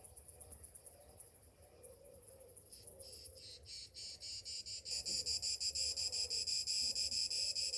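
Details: Morning cicadas in summer: a thin high buzz that swells within a few seconds into a loud, strongly pulsing shrill chorus, throbbing about three times per second.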